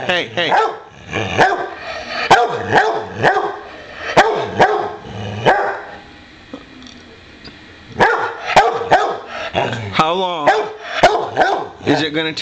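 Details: Playful boxer dog barks in short, irregular bursts about once a second, with a quieter gap midway, while a person talks to it over the barking indoors.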